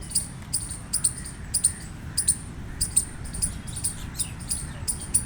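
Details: Gray squirrel giving a series of shrill, clicking chirps, singles and pairs, roughly one and a half per second, over low background noise.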